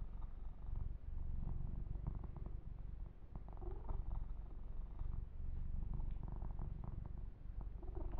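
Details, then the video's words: Male kitten purring while being massaged and groomed: a steady, low, pulsing rumble throughout, broken by scattered rustling, rubbing bursts of fur being stroked. "Kitten Massage - Perfect Sleep Helper Ear to Ear Purring"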